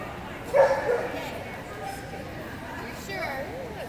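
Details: At a 2019 Rocky Mountain Keeshond Club juniors gathering, a Keeshond lets out one abrupt bark near the start, followed by ongoing human voices and murmuring in the room.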